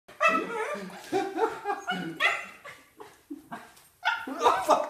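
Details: Over-excited corgis give high yips and whiny barks greeting an arriving visitor, with a person's voice mixed in.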